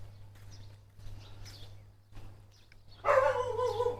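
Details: Village dog in Thailand barking as a woman walks through the village; after faint quiet sounds, a loud burst of rough, harmonic barking begins about three seconds in and continues, with a low steady hum beneath.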